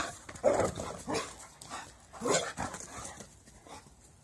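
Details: Female Great Dane, rescued after use by a backyard breeder and dumped at an SPCA, gives short whining, bark-like bursts, three or four loud ones spaced about half a second to a second apart, with a quieter trailing whimper.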